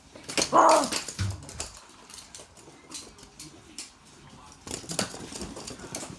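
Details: Two Toy Poodles playing with their stuffed toys indoors; one short, sharp bark near the start, followed by soft rustling, thumps and scratching of play.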